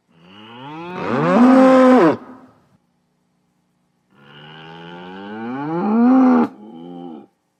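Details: Two long bellows from a bull, each starting low and climbing into a loud sustained tone, the second ending in a brief softer grunt.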